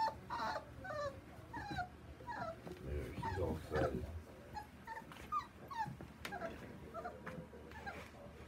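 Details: Male chocolate smooth-coated Border Collie puppy Taco whimpers and yips in short, uneven bursts. The cries are fainter here and mixed with scuffling and a low rumble midway.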